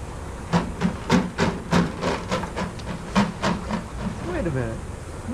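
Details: Adoptable shelter dogs playing together at a daycare give a quick run of sharp barks, about three a second with uneven gaps, then rising, drawn-out whine-like cries near the end.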